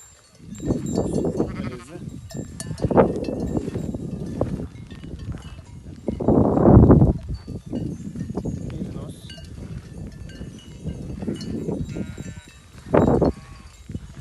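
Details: Merino sheep flock on a farm in Türkiye, several animals bleating in overlapping bursts over a steady murmur of shuffling livestock, with a loud wavering bleat near the middle and men talking in Turkish throughout.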